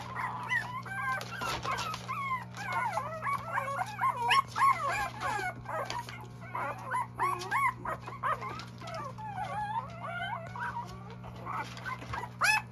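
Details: A litter of Goldendoodle puppies whining and yipping together, a busy chorus of short high squeaks and wavering whimpers, nearly continuous, over a constant low hum.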